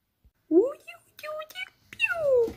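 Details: Oriental cat indoors giving a short rising call, then a longer tonal meow that slides downward, while a person speaks German softly in between.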